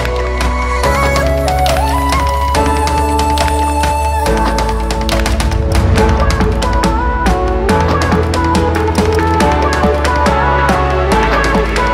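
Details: Loud electronic soundtrack music with steady bass notes, drums and melodic chords throughout, with no animal voices.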